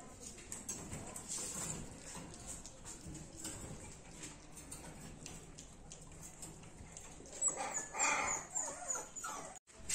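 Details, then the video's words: Dachshund puppies giving brief, high, squeaky whimpers that cluster near the end, over a steady background hiss. "#dachshund puppies"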